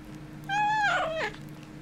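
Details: Kitten with a bone, one drawn-out meow, steady and slightly falling, then bending downward into a rough, strained end; low steady hum underneath in a small indoor space.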